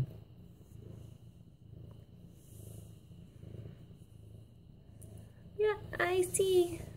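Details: Petted medium-hair orange tabby Mufasa, a young male nearly 8 months old, gives a soft, rhythmic low purr in slow repeating swells, and a woman's voice talks to him near the end.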